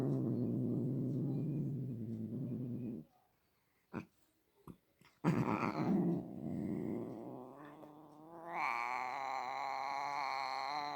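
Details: Indoor cat growling low and steadily, falling silent with a few sharp clicks, then resuming with a rough moan that climbs into a long, high, wavering yowl.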